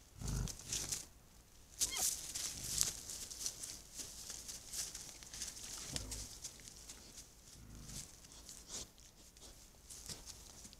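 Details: Wild boar caught by a trail camera at night in heavy fog; a few low, short grunts rise near the start, around six seconds and again near eight seconds, set against constant high hiss with scattered clicks and rustling.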